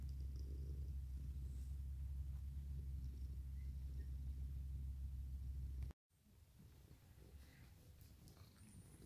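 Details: Deep, regular purr of Mikan, a male orange tabby cat and former stray who hugs and licks like a dog, rumbling steadily for about six seconds before a sudden cut, after which only quieter rustling remains.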